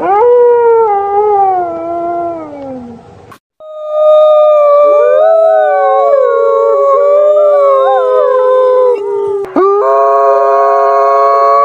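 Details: At night a wolf gives a falling howl, then several voices join in a chorus of overlapping, wavering howls at different pitches that weave around one another.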